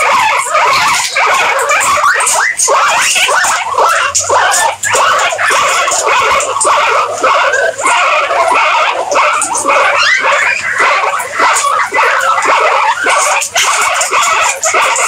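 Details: Guinea pigs keep up a long, busy chorus of overlapping squeaks and chirps at a fast, irregular pace, many voices blending, with a faint low hum partway through.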